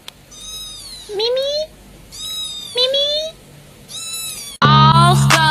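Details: Domestic cat meowing: three similar drawn-out, high, harmonic meows, each with a short rising tail, spaced about two seconds apart, followed by a sudden louder, dense burst of sound at the end.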